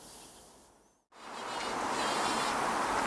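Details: A buff-tailed bumblebee on a rambling rose in a UK garden gives a dense, steady, loud buzz; the sound is not flight but buzz pollination of the flower.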